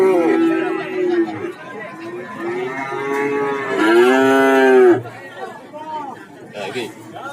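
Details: Several cattle mooing at the Warujayeng market in Nganjuk, a sequence of long harmonic moos, the loudest near the end bending downward as it fades, with crowd chatter and handling noises between the calls.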